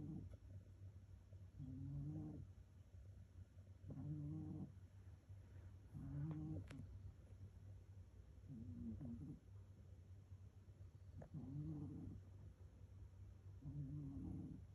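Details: Sleeping rescue cat snoring steadily, each breath a short low rasp with a slight nasal tone, evenly spaced about every two seconds, against a constant low background hum.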